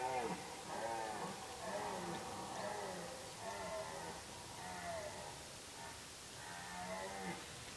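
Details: Red deer during the rut, with deer activity at its peak: a run of drawn-out, moaning, strongly harmonic calls, several overlapping, roughly one a second, rising and falling slightly in pitch over a steady outdoor hiss.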